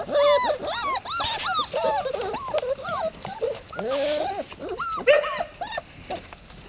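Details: Red Standard Poodle puppies, three and a half weeks old, outside: a chorus of high, arching whines and yelps from several pups, overlapping and rising and falling, with a woman's soft encouraging speech in between.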